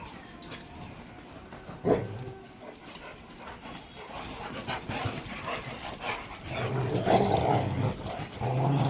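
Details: Rottweilers in a big fight, the dog Copper among them brawling: low, rough growls and snarls swell in the second half over scuffling paws and bumps, with people talking in Bengali throughout.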